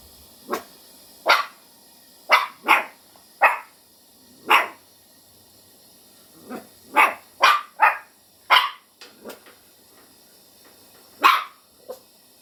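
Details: Schipperke × Chihuahua mix puppy on high alert at its own shadow, barking sharply in irregular bursts, about a dozen high, yappy barks, some in quick pairs, in a quiet indoor setting.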